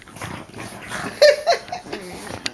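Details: French bulldogs play-biting, three dogs against one indoors: short rough snorts and snuffles with brief high whining squeaks in the middle, amid scuffling.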